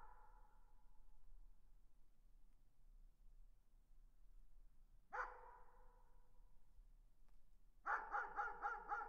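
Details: Far-off dog with an echo fading at the start, one isolated bark near the middle, then a quick burst of about five barks close together, all softened by distance over a steady low hum.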